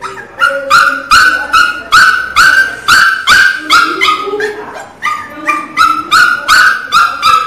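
A Miniature Pinscher puppy cries loudly in a steady series of high, piercing yelps, about two each second.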